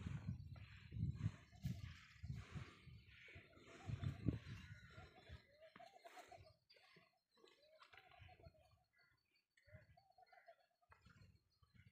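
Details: Camel with severe sarcoptic mange in Tharparkar giving deep, gurgling, rumbling grumbles through the first five seconds, followed by quieter, higher voice-like sounds in short repeated bursts.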